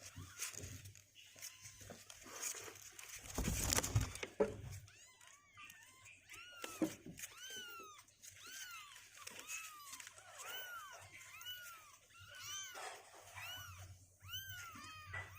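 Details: Two-week-old kittens indoors, legs growing stronger and unwilling to stay in their box, give many short high arched meows, overlapping and repeated several times a second, with faint rustling and a low background hum.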